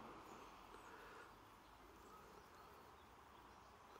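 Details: Bees on 28 September 2023 make a constant low buzzing hum, dense and unbroken, slightly louder at the start, with a soft rumble underneath.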